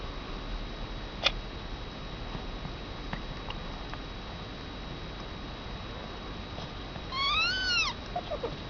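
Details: One-week-old Persian kitten beside its mother, Honey, indoors. Near the end comes a single high, harmonic mew that rises and falls, then a short faint squeak. A click sounds early on, over a steady electrical hum and low room noise.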